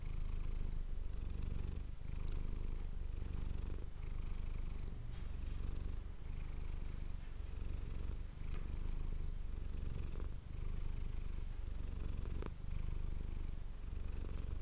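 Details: Manis, a domestic cat, purring close to an ASMR microphone: a steady low rumble that swells and eases with each breath about every second and a half, with a soft breathy hiss riding on each cycle and a few faint clicks.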